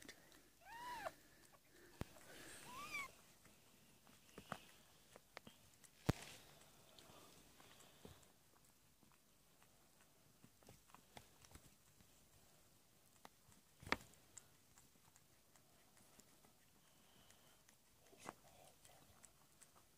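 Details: Domestic cat Amber in labour, giving birth to a litter of four kittens indoors on 22 February 2017, evening; a few short arched meows in the first seconds, then quiet with scattered soft clicks and rustling.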